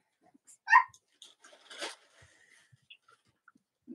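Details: Cavalier King Charles Spaniel puppies, the litters of Robin and Myra, indoors on a chilly late-October Monday morning; one sharp, high harmonic squeal, then soft rustling and scattered faint clicks.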